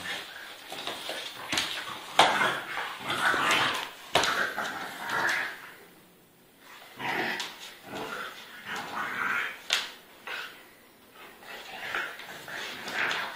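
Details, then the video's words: Pitbull and French Bulldog fighting hard: broad, harsh snarling bursts with sharp yelps, irregular and tense, fading briefly mid-way before rising again. "Pitbull And French Bulldog Fight Hardly"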